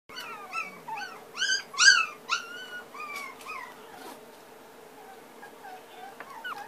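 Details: Puppy indoors whining in rapid high whistled whimpers, rising and falling thin cries in quick succession, loudest early then fading into softer scattered squeaks over a steady low hum.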